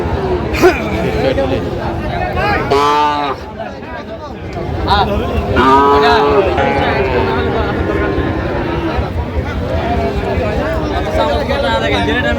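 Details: Sahiwal bull calves at a busy cattle market in Tangail, Bangladesh, on 18 December: two loud harmonic moos near the third and sixth seconds, each about a second long, with steady crowd chatter and bargaining voices around them.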